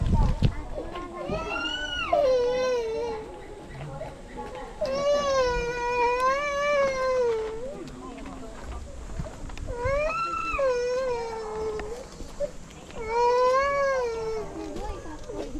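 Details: Wolves howling in the wolf forest enclosure at Asahiyama Zoo, Asahikawa, Hokkaido: four drawn-out, wavering tonal howls, each one or two seconds long, rising then sliding down, with quiet visitor chatter behind.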